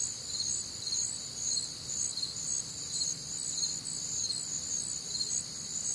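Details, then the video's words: Humid Midwestern summer night chorus of crickets: shrill continuous trilling with chirp pulses close to two per second, several overlapping pitch bands, faint low ambient noise. "Night Time Cricket Sounds"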